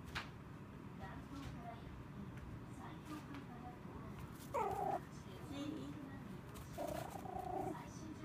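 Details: A three-month-old male Pomeranian puppy weighing only about 200 g, on his second day in a new home, gives two short, high whimpers over a quiet, low background hum.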